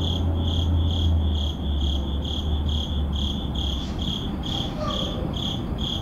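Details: Urban crickets at midnight call with rapid, regular high-pitched chirps, about four each second, while a low droning hum runs beneath and fades midway.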